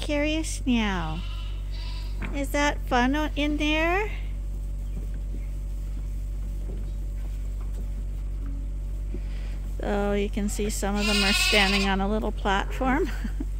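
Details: Farm lambs topped up from a hand-made bottle feeder twice daily at Ewetopia Farms: a few sharp, falling bleats early, a long quiet stretch with low hum, then a burst of overlapping wavering bleats near the end.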